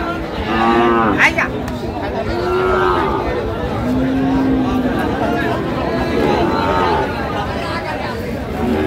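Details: Friesian and crossbred heifer calves at Raniganj cattle market in Dinajpur, recorded 29 January 2025; several drawn-out moos of varying pitch rise over steady crowd chatter and men bargaining over prices.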